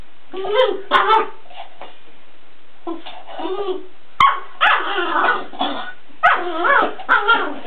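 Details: A Weimaraner barks and whines over its empty food bowl, mixing lower gruff barks with higher, wavering yelping notes in irregular clusters, broken by sharp clicks like the bowl being knocked.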